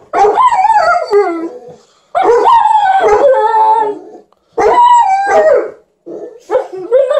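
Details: An Alaskan Malamute howls in long, wavering, rising and falling phrases, joined by a Golden Retriever.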